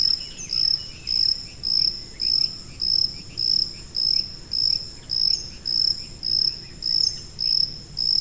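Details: Cricket with high-pitched calling, offered as tinnitus masking sound: even trains of piercing chirps, roughly thirteen bursts recurring at a steady pace of under a second, with faint fainter chirping behind and low hiss.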